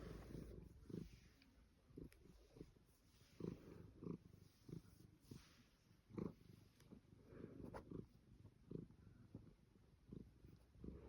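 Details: Savannah cat being fussed, purring low and rough with uneven, irregular breath pulses, plus a few brief louder rustling or handling sounds scattered through.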